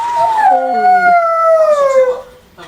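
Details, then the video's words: Howling pet dog gives a single drawn-out wail that slides gradually downward in pitch over two seconds, with a brief lower wavering tone early on, then trails off into quiet. "the dog howling"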